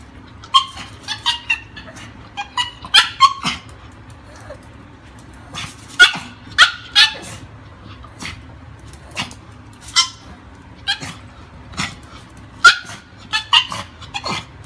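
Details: Pomeranian named Peaches barking excitedly because she wants to play: sharp high yips and short barks in quick bursts, clustered in twos and threes with gaps, over a steady low background hum.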